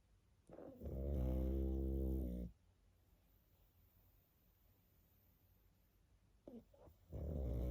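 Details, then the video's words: A sleeping pug snoring indoors: two long, loud, low rumbling snores with dense harmonics, each about one to two seconds, separated by a quiet pause of roughly four seconds. "Мопс и сон😴Храп"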